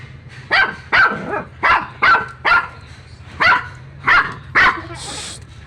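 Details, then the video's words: A dog barking in a steady series of about nine sharp, loud barks spaced roughly half a second apart, with a brief hiss of noise near the end. "Dog bark"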